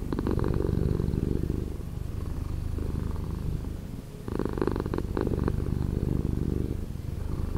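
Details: Purring cat, edited to a slower pace: thick, low, rapidly pulsing rumble, strong and even, with one softer breath gap just before the four-second mark before resuming.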